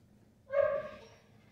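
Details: Luca, a five-month-old Miniature Schnauzer at a board-and-train program in Augusta, Georgia, gives a single short, high yelping bark of about half a second, rich in harmonics and fading at the end, in an otherwise quiet room.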